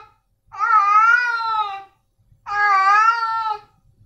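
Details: Male domestic cat giving two loud, drawn-out meows, each over a second long with a brief pause between, clear and nasal in a quiet room.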